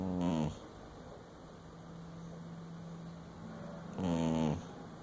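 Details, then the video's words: Sleeping dingo snoring: two loud, rasping, harmonic-rich breaths about four seconds apart, with a low steady hum and quiet indoor background between them. "Dingo sleeps and snores"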